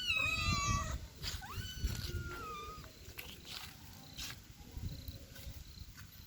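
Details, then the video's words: Kitten with her mother, domestic cats: a clear, drawn-out meow that slides downward, followed by a second, steadier meow and fainter short mews, over low background rumble. "Kitten and her Mom"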